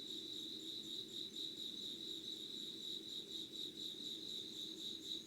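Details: Insects in Yugawara, Kanagawa, Japan, 5:00 on 25 August 2019. A fast, high trill pulses about four times per second without pause, with a sustained thin high tone and a gentle low hum in the background.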